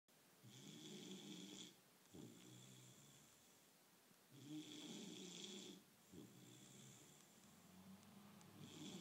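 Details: Bullmastiff puppy snoring while asleep indoors. Long rasping breaths alternate with shorter wheezy ones, each lasting about one to one and a half seconds, with hissy overtones and small pauses between breaths.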